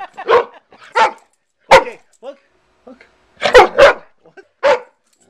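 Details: A family's pet dog at home barks in short, sharp bursts, about eight in five seconds, while being teased with a bottle before it is thrown to her; people talk quietly nearby.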